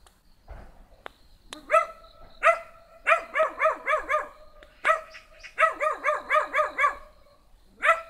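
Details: A small black dog gives high-pitched yaps, some single and some in rapid runs of four or five barks. A faint knock is heard early on.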